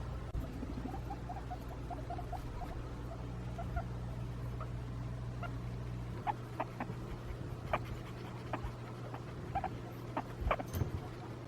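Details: A guinea pig (Cavia porcellus) chuts with soft, bubbly clucks and short chirps, a happy, contented talking sound made to companions while exploring during floor time or when relaxed and calm on a lap.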